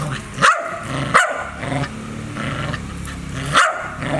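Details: Dog barking and growling: three sharp barks spaced about a second apart over a continuous low, rumbling background.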